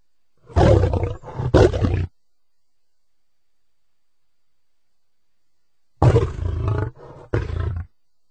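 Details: Lion uttering two broken, snarling growl sequences, each a few harsh low pulses, separated by about four seconds of silence.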